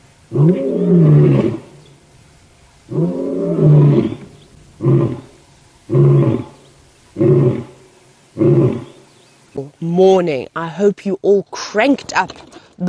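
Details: Male lion roaring loudly at sunrise during a live safari, 19 September 2016: a series of deep moaning roars, first long then shortening, roughly every one to one and a half seconds, ending in quick grunts, with a person speaking at the end.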